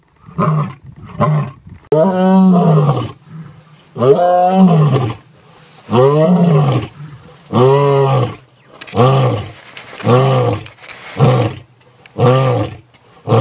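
A big cat roars in a run of deep, rasping bursts, each rising and then falling away.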